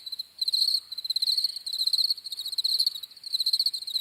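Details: After a short quiet start, crickets chirp in a dense, high-pitched pulsed trill that runs almost without pause, rising and falling in volume; no other animals or people.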